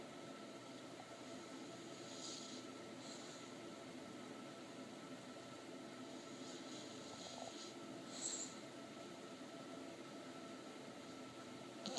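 Only a steady mechanical hum with a faint tone and a few soft hissing clicks, no animal voice.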